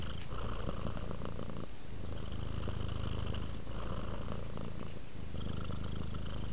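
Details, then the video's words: Rudolph, a pet cat, purring as it relaxes into sleep; deep continuous vibrating rumble, alternating inhale and exhale phases every couple of seconds, with a short gap near the two-second mark. "Sleep while Purring Cat Relaxes"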